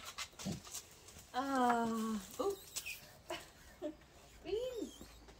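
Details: Female Basset Hound Beans whimpering with joy at her sister's return from university: one sustained, slightly falling whine followed by short yelps and a rising-falling whimper, with soft voices nearby.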